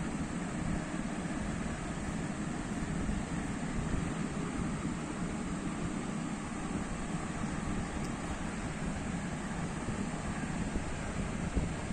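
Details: Steady broadband rumble like passing traffic or engine noise fills the whole stretch, with no calls or other animal sounds standing out.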